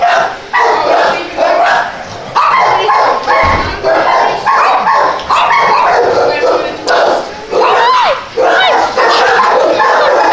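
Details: ['Dogs barking together in quick, overlapping yaps and yips, a continuous busy chorus with brief gaps, plus a few thin whistle-like squeals near the end.']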